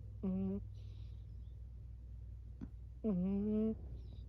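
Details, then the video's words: Burmese cat making little noises in its sleep: two short harmonic mews, the second longer and slightly rising, separated by a quiet gap with a steady low hum behind. "Burmese cat making sleep noises"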